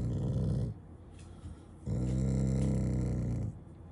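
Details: Shiba Inu refusing to leave the fridge, growling out of affection rather than anger: a low harmonic rumbling growl fading out, a quiet gap, then a second longer growl of about one and a half seconds.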